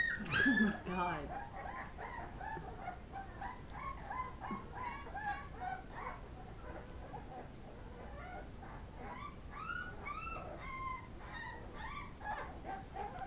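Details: Pit Bull puppies whining as they eat: a louder cry at the start, then a rapid, uneven chorus of high squeaks and yips, several per second, over constant low background noise.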